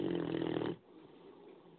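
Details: A 9-month-old Great Dane puppy gives a loud, rattling snore that breaks off into quiet breathing.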